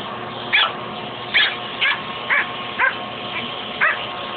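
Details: Dog Fuzzy barks at the shop vac hose in a fight with it: six or so bright, clipped barks roughly once a second, set against the running vacuum's steady hum.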